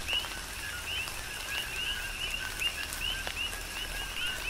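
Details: On the Big Island of Hawaii, coqui frogs chirp through a tropical downpour. Bright, rising double notes come in quick succession, with a few separate raindrop clicks over the rain's hiss.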